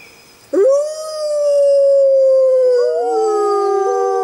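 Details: Six Arctic wolves howl together, a long smooth tone held steady, with a second lower voice joining near the end.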